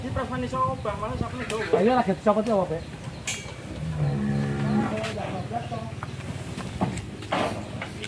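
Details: Large cattle, one of three 'monster' cows being delivered by a cattle trader from Tempel, Sleman, agitated after its rope came loose and nearly escaping. A low, harmonic moo lasting about a second follows loud men's talking, with knocks and handling noise.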